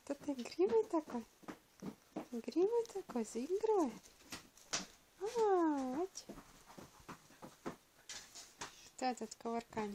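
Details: Thirteen-day-old Border Collie puppies of the Kisses of Angel litter, indoors: a run of high, arched squeaky whimpers, each rising then falling, and a longer sliding squeal midway, with soft human voices and handling noises around them.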